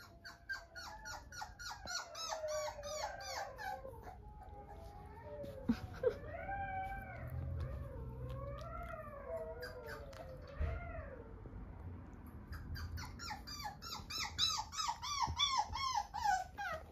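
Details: Cockapoo puppy whining persistently: rapid high, arching whimpers repeated in quick bursts at the start and end, with slower, longer rising-and-falling whines in the middle; low rumbling handling noise underneath.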